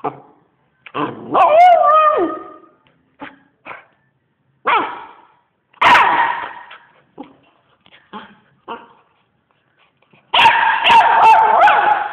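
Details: Dog howling in long wavering tones that bend up and down, broken by short yelps and barks between the drawn-out howls.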